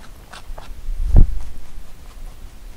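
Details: Pet rabbit eating Korean melon indoors, heard at close range: one sharp, loud crunching bite near the middle, with faint, soft chewing clicks before and after in a quiet room.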